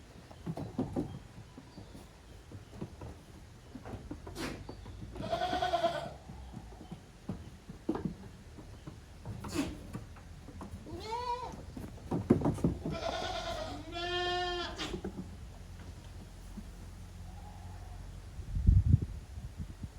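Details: Goat kids playing roughly in the yard at Yoshigake, a handmade goat farm in Japan, 30 April 2023: several bleats, some quavering and rising-falling, clustered between five and fifteen seconds, amid frequent thuds, hoof clatter and scuffling.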